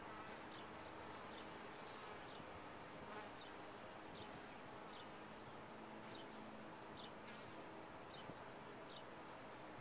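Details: Honey bee hum from a top-bar hive, even and unbroken, with soft tonal bands and frequent short high ticks layered over the drone.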